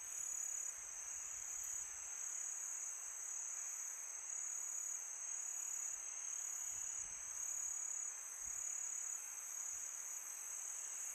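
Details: Crickets on a calm summer night produce a level, unceasing high-pitched chirring, stacked in several close bands, accompanied by low steady wind noise.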